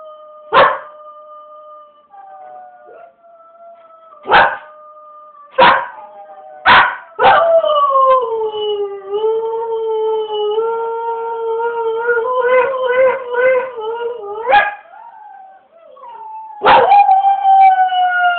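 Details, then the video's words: Dog singing with a long, wavering tonal howl that slides down then rises in layered harmonics, punctuated by several sharp, loud bark-like bursts before and after the sustained howling. "Rainy singing."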